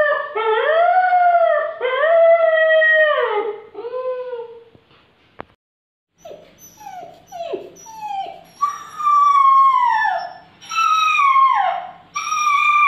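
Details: Long, tremulous whining from a puppy that is hungry: two sustained cries and a fading one, a short silence broken by a faint click, then clipped falling yelps building into longer descending wails.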